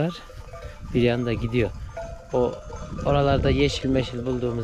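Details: Akkaraman lambs newly separated from their mothers, calling for them; harmonic, wavering bleats in short bursts from several animals, overlapping with human voices.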